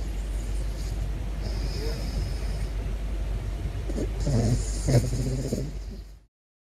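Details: Caracal Big Floppa, curious about a balloon, lets out a few short, low, throaty growl-like pulses in quick succession late in the recording, after several seconds of quiet rumbling background noise.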